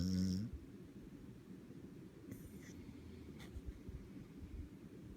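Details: Beagle in a deep sleep, snoring: a low, rough, rumbling breath noise held steady through the clip, with a brief louder higher-pitched sound at the very start.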